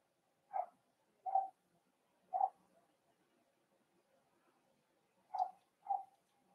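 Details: Cavalier King Charles Spaniel pups, four weeks old, socializing with older dogs in a puppy pen: brief tonal whimpers, three spaced about a second apart, a gap of several seconds, then a final pair.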